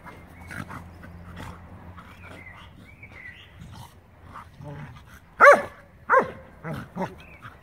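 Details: Scottish Terrier tussling playfully with a Schnauzer on a Sunday; soft grumbles and scuffling give way to a pair of loud, sharp barks about half a second apart, followed by a few quieter yips.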